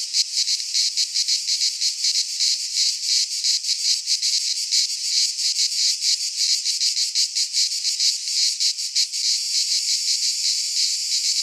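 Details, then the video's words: Greek pine-forest cicadas in midsummer fill the air with a harsh, high buzzing wall of sound, rapidly pulsing and slightly uneven, easing into a smoother hiss near the end. "Cicadas singing in midsummer"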